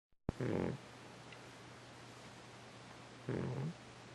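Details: Cat snoring: two low, broad rasping breaths with a steady hum beneath, the first near the start and the second about three seconds later, quiet room otherwise.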